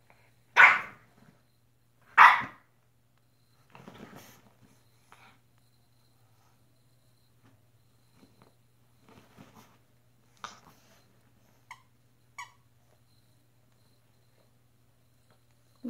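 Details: A French Bulldog playing alone and attacking a sheet gives two loud, sharp barks a second and a half apart, then quieter scuffles.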